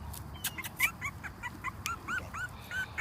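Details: Newborn Dachshund-mix puppies of a January 2014 litter, father a long-haired Dachshund, giving a run of high, short squeaky whimpers, several voices overlapping, some curling upward, mixed with soft shuffling clicks.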